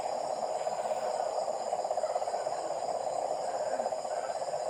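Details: Nighttime frog chorus close to a home: many overlapping callers make a continuous, fast, rattling drone at one low-mid pitch, pulsing slightly, and nothing else stands out above it.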